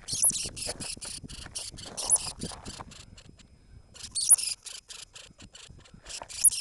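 A Norway lemming gives rapid, harsh, high-pitched squeaking pulses in two quick bursts.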